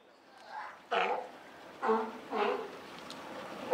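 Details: California sea lion mother with a newborn pup at Higashiyama Zoo and Botanical Gardens, June 28, 2023; short hoarse barking calls, three to four bursts spaced about half a second to a second apart.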